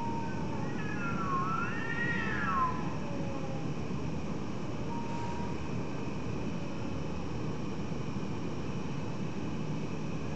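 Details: Cats meowing in the middle of the night: one drawn-out, wavering meow rising and falling over about two seconds, then a faint short tone, over a steady low rumble like distant traffic.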